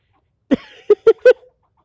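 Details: A squirrel angrily yelling at the person recording: a raspy opening note followed by three sharp, clipped barks, the last ones closer together, against silence.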